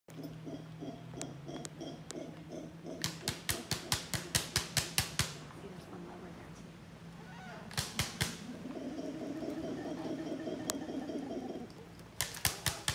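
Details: Howler monkeys give deep, droning roars in the distance, heard during a horseback safari, with the horses' sharp hoof clops ringing out nearby.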